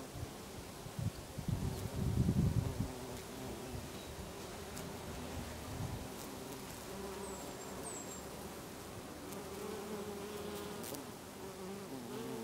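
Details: Bees foraging among lavender in a Brittany garden in August, many insects together; continuous low droning buzz with a louder close pass early on, then a softer steady hum, faint high chirps in the distance.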